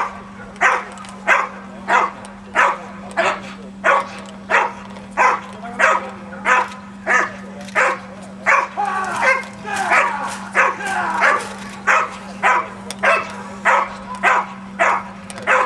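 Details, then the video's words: A Pinscher barks in a long, fast run of high, clipped yaps, about one every two-thirds of a second, briefly becoming more ragged midway, with a steady low hum underneath. "Donovan Pinscher"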